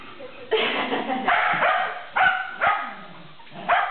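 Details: Sheltie in a tug-of-war game, a burst of rough yapping barks, some drawn out, then sharper single barks with short gaps.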